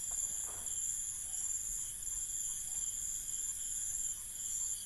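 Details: Crickets chirp at night in an Indian village, a steady, high-pitched chorus of continuous trilling.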